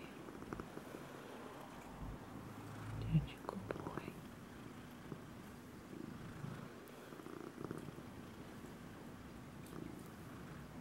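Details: Hamlet the cat purring, recorded on May 26, 2016: a steady, low, rumbling purr with an even pulsing texture throughout, a brief louder bump near three seconds, in a quiet indoor setting.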